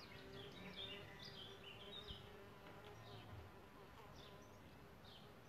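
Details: Around a bug hotel where solitary bees nest, a low bee hum swells briefly in the middle, while quick high bird chirps dominate the opening seconds.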